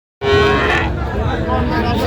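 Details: Friesian bull calves at a cattle market in Narayanganj, Bangladesh, bought by a farmer: one short, deep moo with a steady tone, set against crowd noise.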